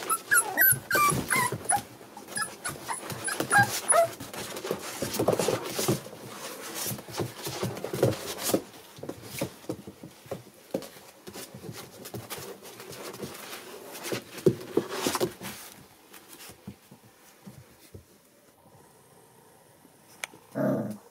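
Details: Seven American Bully puppies born December 8, 2019, indoors: a busy jumble of high whimpers and yips in the first seconds, then scuffling, rustling and clicking noises, fading quieter toward the end with one short squeal.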